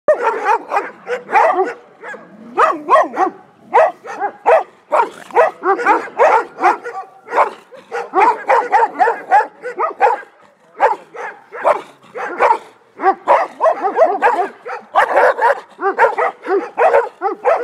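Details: An untrained Komondor in a territory-guarding test under light provocation, Gyömöre, Hungary, 2014, barks in quick continuous volleys of deep, rough barks.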